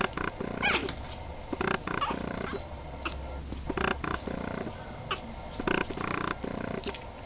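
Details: Young Boston Terrier pups at 23 days old give rumbling, purr-like growls in quick, uneven bursts, with a few higher squeaky notes mixed in.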